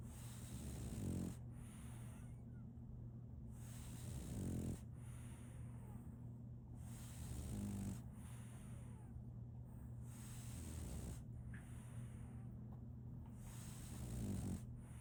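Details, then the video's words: Solaimy, a female French Bulldog puppy, snoring while asleep: soft, breathy rasping snores about every three and a half seconds, rising and falling in slow cycles over a faint steady low hum. "RONQUIDO de un French Bulldog"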